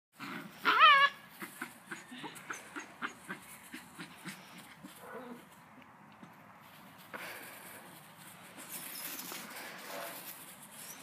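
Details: A male Belgian Malinois gives one sharp, high bark near the start, followed by soft shuffling and faint voices; recorded 15 June 2014.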